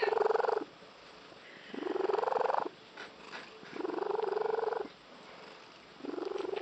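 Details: Frog-like purring of a female house cat: four strong, buzzy pulsed phrases of about one second, each slightly rising, spaced by short quiet breaks, with faint clicks in between.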